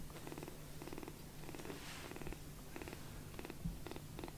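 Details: Young rescued foster kitten purring contentedly on a person's palm after a full milk feeding indoors; soft rhythmic purr in regular breathy pulses about every half second, steady low hum underneath.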